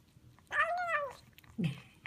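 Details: Highland Lynx kitten making sounds while eating a chicken dinner. A single arched, slightly nasal meow lasts about half a second and is followed by a low, short grunting sound in a quiet room.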